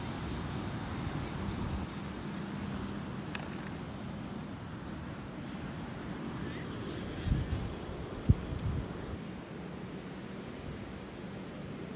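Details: Low vehicle rumble and muffled talk fill an outdoor scene in Monterey, California, with a couple of sharp knocks near the eighth second and no animal calls.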